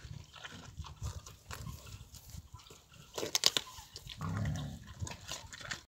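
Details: A wild boar boar (male) eating baked pumpkin chews noisily with wet crunching, then lets out a low, rumbling grunt.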